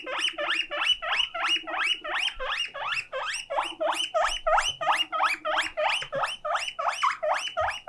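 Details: Lonely pet guinea pig left by itself, crying out: fast, steady series of shrill rising wheeks, about three per second, each sweeping upward, with a faint low hum underneath.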